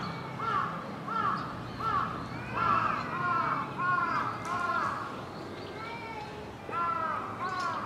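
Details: Zoo troop of Japanese macaques at Hamura, Japan, calling at dusk in December 2020 before closing: arched, tonal coos repeated about every second, overlapping from several animals over a steady background hum.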